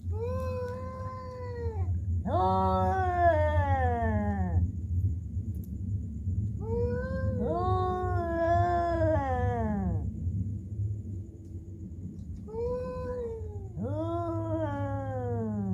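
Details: Cats sounding almost human: a run of five or six loud, long harmonic yowls, some closely paired, each bending downward at the end, over a continuous low droning hum.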